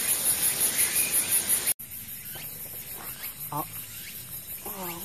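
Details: Many Chitchi cicadas singing at a fourth collecting spot, where the ground below keeps collectors from getting close; a very high, thin pulsing buzz runs steadily throughout, cut briefly near the start, with men talking over it.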